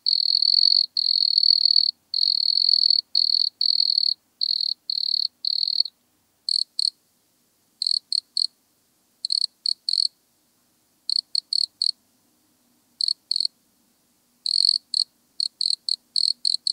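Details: Nemobius sylvestris, the wood cricket, recorded 9 August 2022 in Altenberg, Austria: long purring trills in the first six seconds, then short paired chirps separated by silent pauses of one to two seconds; background otherwise quiet.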